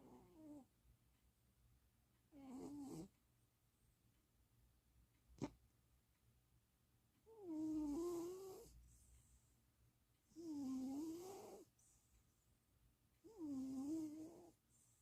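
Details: A napping pet cat in Austin, Texas, snores in slow, regular breaths, each a rough, buzzy, wavering tone lasting about a second, repeated roughly every three seconds in a quiet indoor room, with one sharp click between.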